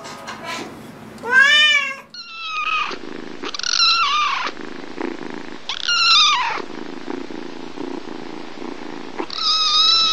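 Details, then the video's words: Pet cat calling in a compilation: short harmonic meows repeated every two to three seconds over a steady low hum, with a Spanish-speaking voice briefly nearby. "Funny Cats Meowing ★ Meowing Cats Compilation"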